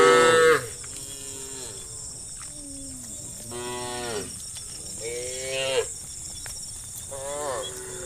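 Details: Herd of tame cows, dozens strong, roaming the road to the fields and complaining; a series of short to medium moos from several animals, each a rich harmonic bellow, coming every second or two against a constant high-pitched hiss.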